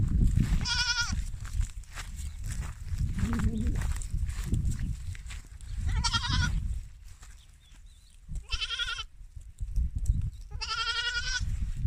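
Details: French Alpine goats kept in Guercif, bleating four times at uneven intervals, each call a harsh, quavering, nasal cry lasting under a second, with low rumbling wind noise and a brief human voice between calls.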